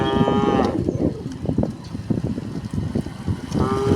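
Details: Dozens of tame cows walking along a quiet country road moo with long, low, droning calls over a steady clatter of hooves.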